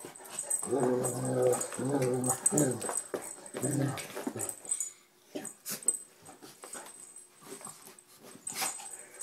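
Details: Anatolian Shepherd dog playing carefully with a smaller rescue dog that plays rough; deep bear-like growling bursts over the first five seconds, then quieter scuffling, clicks and a few thin whimpers indoors.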